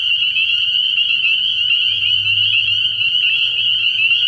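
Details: Spring peepers calling in a massed chorus at a frog pond on an early-year night, the overlapping high piping blending into one unbroken shrill trill, with a faint low drone below.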